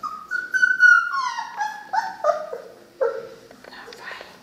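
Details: Three-week-old Cane Corso puppies whimpering and whining: long high tonal whines gliding downward, then shorter wavering yelps and squeaks in overlapping bursts, with faint rustling indoors.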